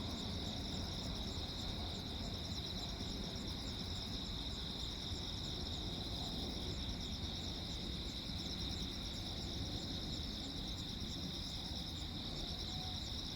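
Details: Crickets chirping at night on Jeju Island, South Korea, on 15 August 2024 during a lightning storm: a steady, high, finely pulsed chorus runs throughout above a constant low rumbling background noise.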